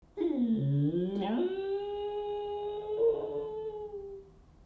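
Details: Pet dachshunds howl when their owner walks out the door, wanting them back: a low sliding moan rising into a long, steady, sustained tone.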